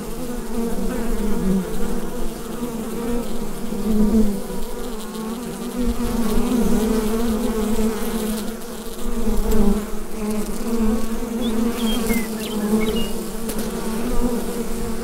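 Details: Massed buzzing from a bee hive on a Rode NT-USB microphone, a steady deep hum with slow rises and dips in intensity, and a few faint high bird chirps late on.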